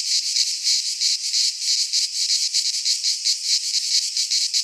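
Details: Pine forest cicadas of Greece in midsummer: shrill, sizzling buzz with a wavering pulse, swelling and dipping slightly but never stopping, as the only sound.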